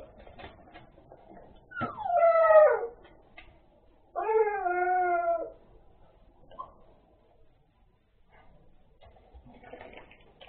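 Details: Puppies giving two long, mournful whining howls about two seconds apart, each dropping in pitch and layered with overtones, then a brief yip later, with soft clicks and shuffling noises between calls.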